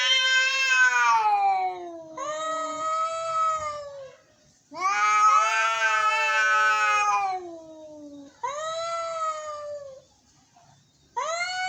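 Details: Angry cats giving long, harsh, wailing meows that fall slowly in pitch, about five cries separated by brief silences, some calls loud and strained.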